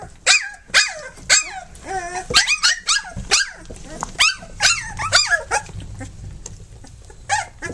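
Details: Three-week-old pups belonging to Flute, nursing and playing, make sharp separate squeals and thin wavering whimpers. The cries come in scattered bursts with short quiet gaps between them, and a faint low rumble sits underneath.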